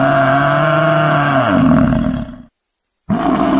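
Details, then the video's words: Buffalo giving a long, loud, droning low bellow that holds a steady pitch and then slides downward, breaks off into abrupt silence, and resumes with a fresh bellow. "o incrível som dos búfalos"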